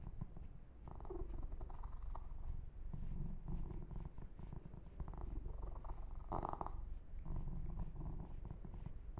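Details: Massaged male kitten Yumak purring contentedly, a steady low vibrating drone, overlaid by intermittent fur-grooming and stroking rustles.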